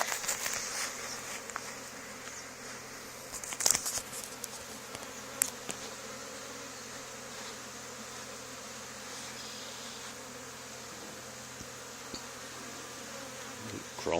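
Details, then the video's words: A swarm of honey bees is removed from a barn wall two days after a neighbouring hive was cut out. Continuous buzzing drone runs throughout, with scattered taps and crackles in the first half, then a smooth, steady hum. "Honey Bee Swarm"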